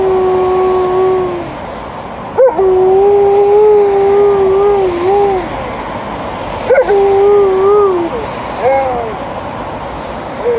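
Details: Alaskan Malamute howling in response to a passing ambulance and then a police car siren. Long, wavering, tonal howls hold a steady mid pitch for one to three seconds, separated by brief gaps, with a few sharp clicks. A short bit of human speech follows.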